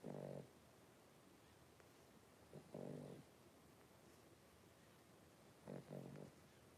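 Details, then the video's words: Five three-week-old blenheim Cavalier King Charles Spaniel puppies wrestling and playing in their puppy pen; three short, low, rough growling bursts, about half a second each, separated by quiet stretches. "3-Week-Old Cavalier Puppies Wrestle and Play"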